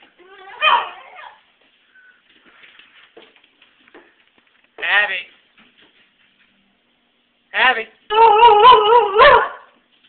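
A basenji gives warbling, yodel-like howls in short bursts, ending in a longer wavering phrase.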